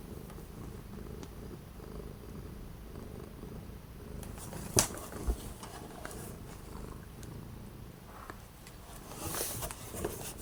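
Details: Purring orange cat on 12 January 2025, with strong winds for several days and bitter cold outside keeping it from going out. Low, rhythmic purring is steady throughout, broken by a sharp tap near the middle and a brief rustling burst toward the end.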